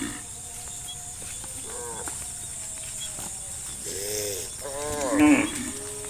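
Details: Dozens of cows running out of a forest towards green fields; a few arched, harmonic moos rise and fall at about two, four and five seconds over a steady hiss and faint background chatter.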